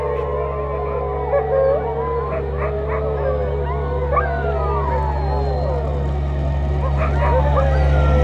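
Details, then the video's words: Chorus of sled dogs howling in Ilulissat, Greenland, long sliding wavering tones overlapping from several animals, over a constant low droning hum. "Sled dogs are singing in Ilulissat, Greenland"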